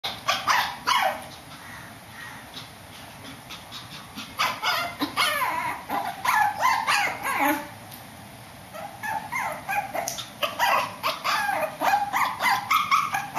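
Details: Shih Tzu barking upstairs indoors: bursts of sharp, harmonic barks in irregular runs, several quick barks at a time, separated by brief quieter gaps with low room hum.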